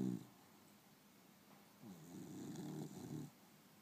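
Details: Beagle Princess napping in the afternoon, a short snore at the start, then a quiet pause and a longer, softer rasping breath with a slight rising whine near the middle.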